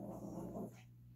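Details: Playful growl from Gracie, a Yorkshire Terrier puppy, playing ball indoors alongside a Lhasa Apso: a raspy, continuous growl lasting about seven tenths of a second, then quiet as a man coaxes her to get the ball.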